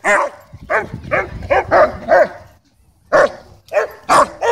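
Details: Territorial German Shepherd at a dog park barking to demand a ball, with a playful dog named Bodhi joining in; about seven sharp barks, a brief pause, then several more loud barks.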